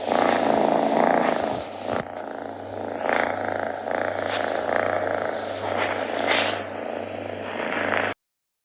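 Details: A pet cat purrs continuously, the sound credited with healing ailments; a dense, pulsing rumble in breath-long waves with a constant low hum, a short rustle around two seconds in, ending abruptly in silence.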